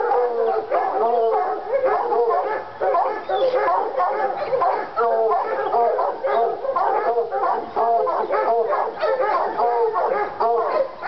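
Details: Fired up on a coon skin, the North Carolina Treeing Walker Coonhounds Lady and Cooper bay and howl together, repeated bawling notes in rapid rhythmic bursts with short quieter gaps.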